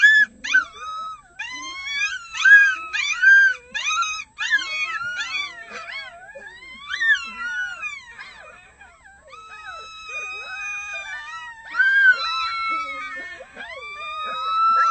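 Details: Red wolf pups, six of them nearly a month old, howl with the adults early in the morning; quick yipping wavering cries first, then several long steady overlapping howls holding their pitch.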